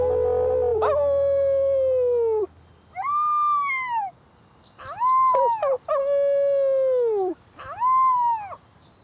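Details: An orphaned female gray wolf pup, about four weeks old, on her first walk in the woods, gives high, wavering howls that rise then slowly slide down, howling back as people howl to her like other wolves.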